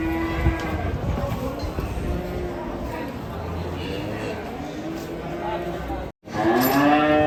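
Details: During an unsuccessful effort to load fat cattle, a low, sustained moo lingers in the background before a louder harmonic bellow breaks out at the close. Men's voices and music play throughout.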